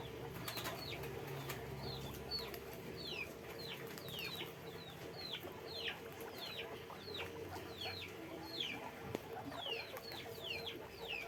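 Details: Guinea pig chorus from a farm cage: sharp, high, downward-sliding squeaks repeated in quick irregular bursts, many animals overlapping, with a faint steady hum and occasional clicks.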